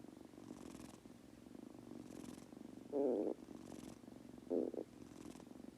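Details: A male Munchkin kitten purrs steadily while falling asleep, a low continuous rumble with two brief louder bursts.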